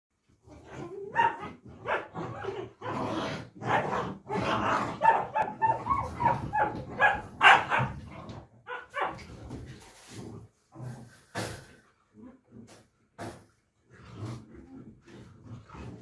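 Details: Komondor puppies giving a run of yappy barks and yips, irregular bursts about fifty a minute, some high whimpering squeals between them, louder in the middle and thinning out toward the end.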